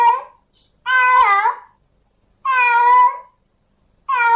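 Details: Tomcat in heat calling out to a female cat, giving long wavering yowls that bend up and down, spaced about one and a half seconds apart in a quiet room.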